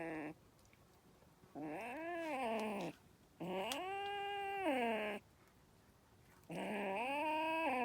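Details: Kitten described as angry, letting out three to four sustained, wavering meowing yowls that swell and sag in pitch, each over a second long, with brief silences between them.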